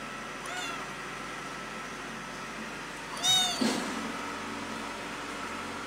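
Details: Cat named Pretty meowing very loudly because it misses its mother: a faint meow near the start, then one loud, high, wavering meow followed by a shorter cry, over a steady indoor hum.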